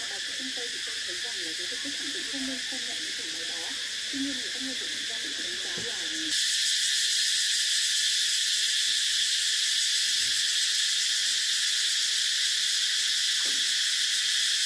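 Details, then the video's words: Cicadas drone continuously in a bright, shrill hiss. Softer lower wavering sounds run through the first six seconds, and then the buzzing jumps louder and fuller for the rest. "Tiếng Ve Sầu kêu hay nhất"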